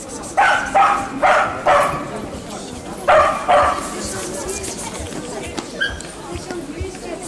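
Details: Junior-class Yorkshire Terriers at the Lublin International Dog Show 2019: a quick run of about seven sharp, ringing barks in the first four seconds, then only the murmur of talking people filling the show hall.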